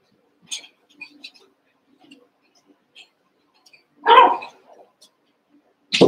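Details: Playing Cavalier King Charles Spaniel puppies, Daisy's six and Robin's two, merged into one group of eight. Faint squeaks and rustling lead up to one loud, rough yap midway, and a second sharp yelp cuts in right at the end.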